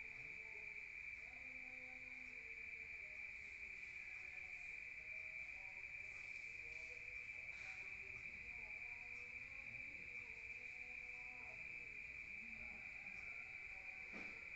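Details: Nighttime rural crickets heard from inside a room produce a long, continuous, high-pitched trill at one steady pitch, with faint distant sounds and a few short clicks in the background.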